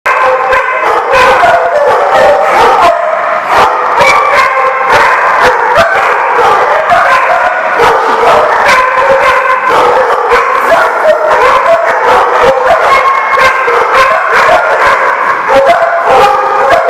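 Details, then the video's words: Many dogs bark together without pause, a dense chorus of overlapping yelps, woofs and drawn-out howl-like cries, loud and steady for the whole stretch. "The Barking Lot"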